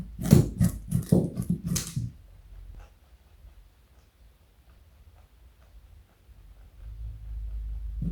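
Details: Pet male rabbit weighing 4.6 kg, eating a carrot indoors: about five quick, crisp crunches in two seconds, then near silence with a faint low rumble.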